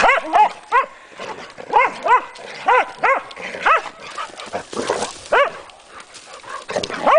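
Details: Hungarian Vizslas Sophie and Sara at play beside the Delaware River in the Pocono Mountains, Pennsylvania, April; a run of sharp, rising-falling yips and barks, about ten in seven seconds, with rustling between.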